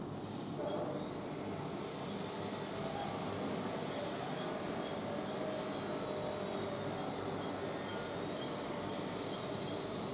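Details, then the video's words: Squirrel chatter as a steady string of short, high-pitched chirps, about two per second, continuing throughout over low background rumble. "Squirrel Sounds Squirrel Chatter Squirrel Noise making Sound"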